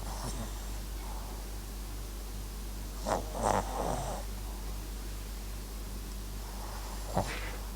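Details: Max, a Papillon and Japanese Chin dog, snoring softly while asleep indoors; a couple of breathy, rasping snores cluster around the middle, with one short snort near the end over a steady low hum.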